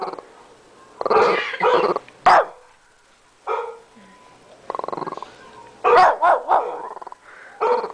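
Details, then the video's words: Tommy, a small 13-pound Shih Tzu, barking at a computer indoors; bursts of shrill yapping barks, some run together into rough growly strings, separated by short quiet gaps. "Tommy the shih tzu barking at the computer"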